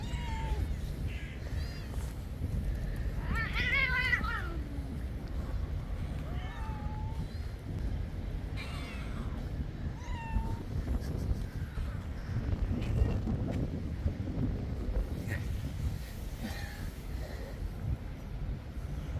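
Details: Stray cats on an island coming out of their cat house on a cold, rainy day when a man calls: a wavering meow early on, then several short, fainter mews, over constant rain-like rumble and low talking.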